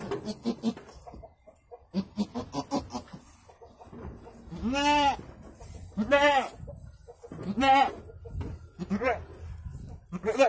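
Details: Birthing goat delivering two kids: after some human chatter, four wavering, nasal bleats follow roughly every one and a half seconds, each rising then falling, with faint voices continuing underneath.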